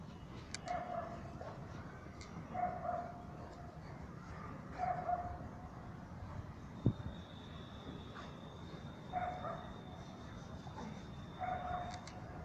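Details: Saint Bernard playing with a football: brief husky woofs spaced roughly two seconds apart, one sharp click midway, and a thin whine late on above constant low background noise.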